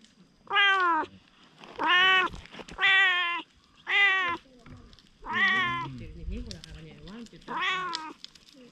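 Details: Stray cat, at first wary, growing bold and affectionate: six clear, drawn-out meows, each rising then falling, about one per second, with a low murmuring human voice under the fifth.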